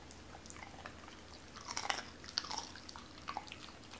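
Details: Doberman Cola chews raw chicken indoors during a first try at whole raw chicken. Quiet crisp crunches cluster in the middle, with small bone cracks and wet bites fading toward the end.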